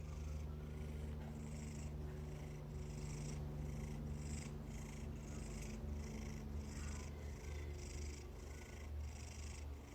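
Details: Domestic cat purring, a steady low rumble pulsing evenly throughout with a faint hiss above.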